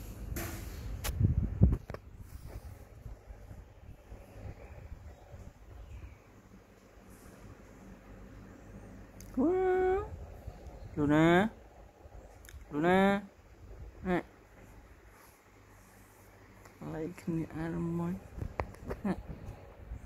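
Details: Ginger cat that wants to sleep on the mattress, giving a few drawn-out, wavering meows in the second half, loud bursts spaced one to two seconds apart, after knocks and rustling at the start.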